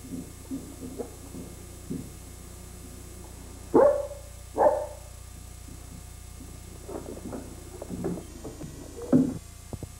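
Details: Saint Bernard puppy named Bernardo gives two short, sharp barks close together near the middle, followed later by a few fainter yelps over a low background hum.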